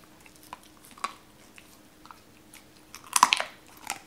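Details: Cola, a Doberman, eats raw chicken indoors for the first time, cautious at first, then eating pieces cut by hand; quiet scattered wet clicks, then a cluster of loud crunching bites near the end in a small room.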